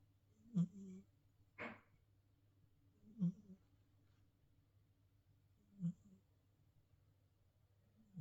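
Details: Himalayan Persian cat Fat Boy from New Zealand snores in a steady rhythm: low, throaty rumbles every two and a half seconds or so, with one breathy, hissing exhale between the first two, in a quiet room.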